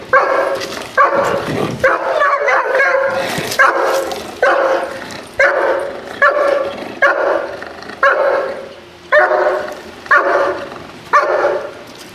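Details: Dog in protection training barking forcefully and repeatedly, about one bark per second, with quicker overlapping barks early on and sharp clicks or knocks mixed in during the first seconds.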